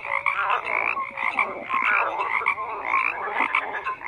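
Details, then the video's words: Croaking frogs calling together, busy rasping bursts roughly once a second layered with short higher tonal notes, a crowded, uneven chorus. "FROGS CROAKING"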